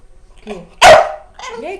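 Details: A pet dog gives one short, loud, explosive bark toward its owner indoors, between soft Portuguese speech before and after.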